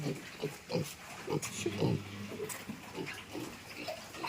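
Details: Piglets moved into fattening pens on a Thai pig farm: low, repeated grunts and short snorts in quick bursts, with clanging metal and human voices close by.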